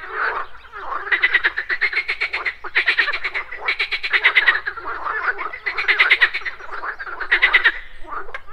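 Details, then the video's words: Frogs croaking at a morning pond alongside buzzing insects: long runs of rapid rattling croak pulses in near-continuous bursts, several callers overlapping. "MORNING FROG POND - Nature of Relaxation, Nature Sounds, Frogs Croaking"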